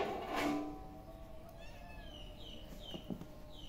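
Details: A playing kitten gives one short, loud, harmonic meow-like cry in the first half second, followed by repeated high, downward-sweeping chirps from birds in the background and a low steady hum.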